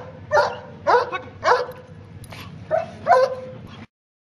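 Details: German Shepherd trained in protection, obedience and narcotics, working protection on a tug boat; five loud, harsh barks come in quick succession over about four seconds, each short and sharp, then silence.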